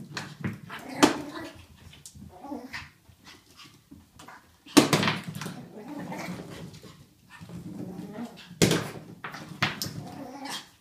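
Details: A pug called Ollie playing wildly with his toy, giving softer grumbling growls between three loud sharp knocks as the toy hits something, with quiet rustling throughout.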